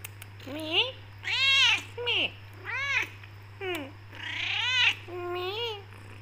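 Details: Indoors, tortoiseshell black Persian cat Becky meows insistently to go out and get food, a rapid run of seven bent, harmonic meows of varied length, some rising, some falling, with little pause between.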